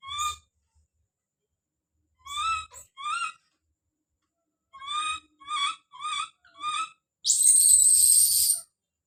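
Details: Baby monkey Don calls out with bright, squealing cries grouped in short runs. A harsh, hissing high-pitched burst lasting over a second closes the sequence.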